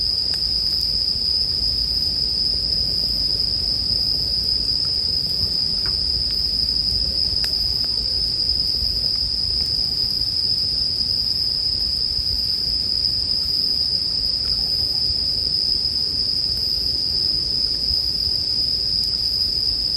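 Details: Chorus of bell crickets beside a campfire, made as relaxing sleep background sound; a continuous shrill ringing tone stays level for the whole stretch, broken only by scattered soft crackles and snaps from the fire.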